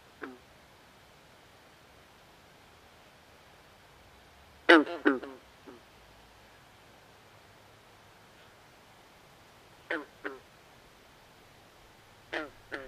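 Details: Swamp frogs at night give a soft opening croak, then a loud cluster of three or four harsh, quacking notes, followed by fainter pairs after long silences.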